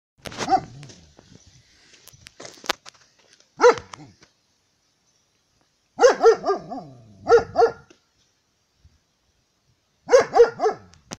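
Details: German Shepherd dog barking: short sharp barks in bursts of two to four, with silent gaps between the groups, over about eleven seconds.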